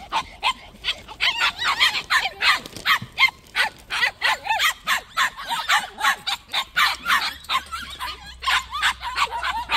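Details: A steady stream of shrill, clipped barks from white puppies in a plum orchard, about three yips every second for ten seconds with little other sound.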